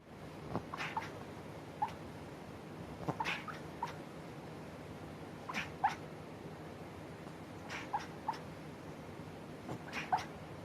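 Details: Sleeping Chihuahua barking in its sleep: soft, short muffled yips and squeaks scattered irregularly, some in quick pairs, against a quiet indoor background hum.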